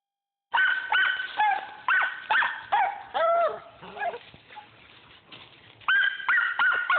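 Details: Squirrel dog Rock hot on a squirrel at Millen, barking hard: rapid, loud, ringing barks with drawn-out, bawling notes that bend downward, around two or three per second, easing into a quieter stretch before a fresh burst.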